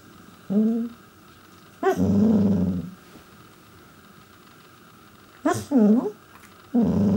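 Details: A male Pembroke Welsh Corgi 'talks' with bent, moaning yowls and low grumbles to get his owners' attention, unaware he is being recorded.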